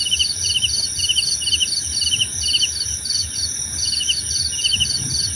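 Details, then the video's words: Cricket chorus meant for calm and meditation, short trilled chirp groups repeating about twice a second at mid-high pitch over a constant high insect drone and faint low background noise. "Suara Jangkrik Membahana!"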